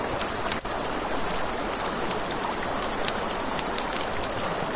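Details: A dense, high, rapidly pulsed cricket trill at night by a river, steady and unchanging, joined by sharp campfire crackles and a low wash of river water.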